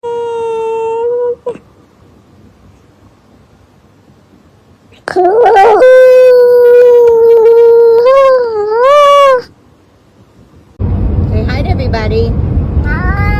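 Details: A talking cat from a compilation of cats that can talk, giving drawn-out harmonic meows: one steady tone, a silent gap, then a longer wavering, rising-and-falling call. A burst of noisy rasping follows.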